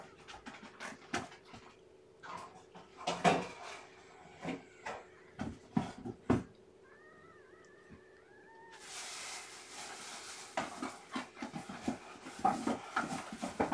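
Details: Weak, underweight newborn female kitten, lethargic after losing weight, being fed and warmed by hand indoors; a quick run of five or six short, soft arched mews midway, surrounded by handling clicks and rustling, then a broadband hiss of noise.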